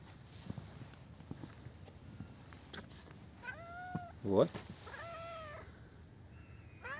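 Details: Friendly, talkative street cat met by chance outdoors on a street, meowing: several short arched harmonic meows around the middle, a rising-falling one near the end, with low background street rumble and faint clicks.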